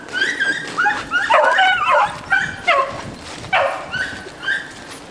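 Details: Beagles in a pack chasing roe deer give overlapping cries. High, sliding yelps mix with deeper ringing bays from several dogs, arriving in uneven bursts roughly every half second, with short quieter gaps between them.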